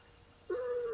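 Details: Female pet cat aged seven, held indoors during a sing-along of Twinkle Twinkle Little Star, gives a single drawn-out tonal meow that starts with a brief rough onset and slowly falls, with a steady faint hum underneath.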